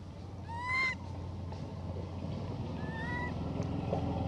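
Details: A hybrid monkey named Elpida asks for food with two tonal, whistle-like coos: a strong arched one near the start and a softer, flatter one about two seconds later, over a steady low hum.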